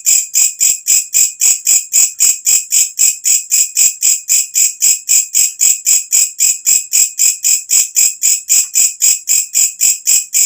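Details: Walang kecek katydid, an insect that calls when night falls, recorded as natural tutor sound for training songbirds: loud, shrill, high-pitched chirps pulsing steadily about four times per second, evenly spaced throughout, with no other sounds.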